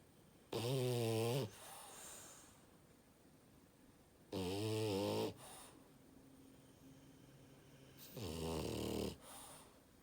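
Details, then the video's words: Sleeping French bulldog giving very loud, rattling snores, three harmonic-rich snores about a second long, spaced roughly every four seconds, with softer exhalations after each and quiet room background. "Loudest Snore Ever of a French bulldog"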